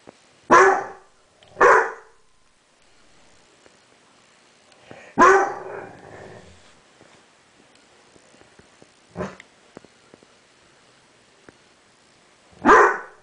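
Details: A 7-month-old pet dog named Banks barks at its own reflection in a mirror indoors: sharp single barks, two close together, a longer bark with a rough tail, then one more after a quiet gap.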